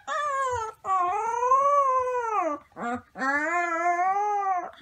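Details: Young gray wolf pups learning to howl give high, wavering howls that rise and then slowly sag in pitch.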